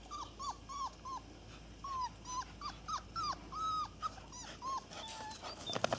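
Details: Irish Terrier puppies whimpering: a steady run of short, high whines, each bending downward at the end, coming roughly twice a second with brief gaps, closing with a louder rustling scuffle.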